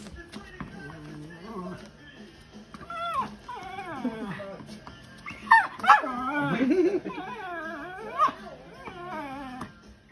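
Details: Female Cairn Terrier, very vocal with excitement before going for a walk, indoors: wavering whines and yodelling moans that rise and fall, bursting louder in the middle, over background music and a person talking about a walk.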